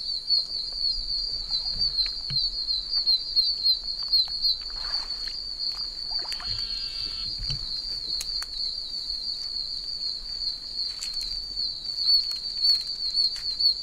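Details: Many oak toads calling from rainwater puddles in a soaked wilderness. A continuous, deafening high-pitched chorus of overlapping peeps, with rustling footsteps and brief handling noises.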